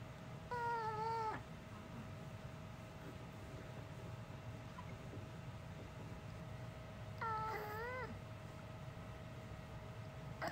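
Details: A pet dog known since puppyhood for making human-like sounds instead of barking gives two separated, wavering, moan-like vocalizations, each about a second long, with a steady faint hum in the background.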